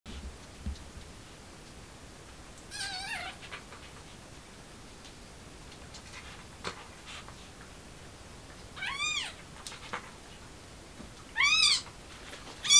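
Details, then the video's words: Mother cat trying to take her kitten outside, a stray; three short rising-falling meows spaced a few seconds apart over a quiet background with faint clicks. "Mother Cat Is Trying To Take The Kitten Outside"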